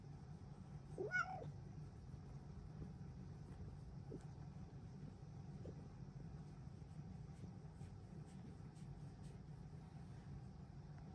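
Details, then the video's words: Luxe, a female Bengal cat, giving a happy morning meow that signals it is time to start the day. A single short, bright meow with a rising then falling pitch comes near the start, followed by quiet and a low steady rumble. "Luxe says it’s time to start our day!! Happy Kitty noises!"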